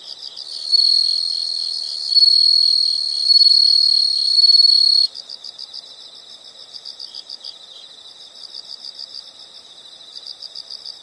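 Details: Insect sound opening with loud high trilled bursts in four surges over five seconds, then shifting to quieter rapid pulsed chirps, about three or four a second, continuing steadily.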